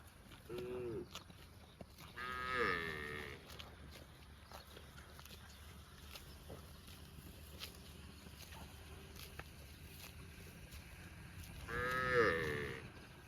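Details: A cow grazing in a park gives several drawn-out, rising-then-falling moos with long quiet gaps between them.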